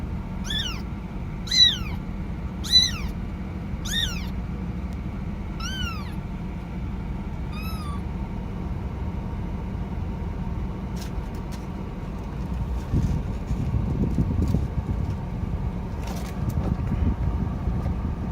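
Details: Kitten; contact call; kitten calling for its mother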